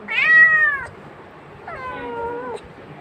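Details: Pet cat meowing twice indoors: a loud, slightly falling meow at the start, then a softer, longer, level meow after a pause, while a person talks to it.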